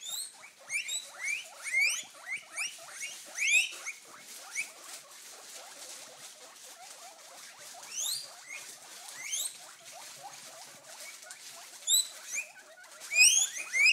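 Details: Three pet guinea pigs give loud, piercing wheeks, quick upward-sliding squeals in overlapping, swelling bursts, begging for food after a salad bag is crinkled.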